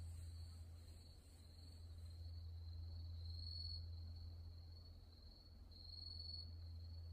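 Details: Grass insects calling at night at Wonhyosa temple on Mudeungsan, October 2024: a steady high, shimmering trill with faint pulsing throughout, over a deep, swelling hum from a distant temple bell.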